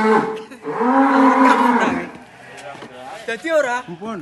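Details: At its farewell send-off in Indonesia, a big cow lets out one long, full moo of about a second and a half. Softer, wavering vocal sounds and background noise follow.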